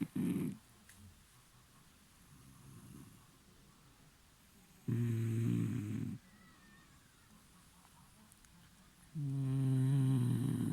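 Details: Dog asleep and snoring, deep low rasping snores with a nasal buzz, three loud bursts spaced several seconds apart over soft breathing in a quiet room.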